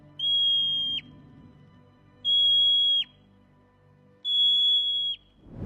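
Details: Marmot, a furry rodent of mountains and steppes, giving its piercing siren-like alarm squeak that warns the colony of danger and carries far; three flat, high whistles near a second long, spaced two seconds apart, each ending in a quick downward flick.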